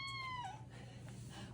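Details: Ragdoll cat being put into a harness for an outdoor walk gives a single short meow that slides downward and fades, with a steady low household hum behind it.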